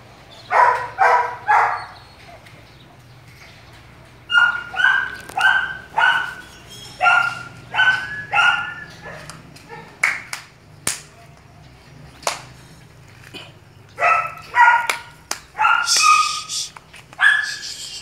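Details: A purebred long-haired male German Shepherd at a breeding kennel barks in short bursts, with loud, harsh barks repeated in quick runs.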